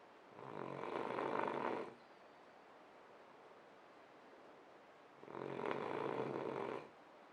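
A French Bulldog snores in two long, rasping breaths separated by a quiet pause.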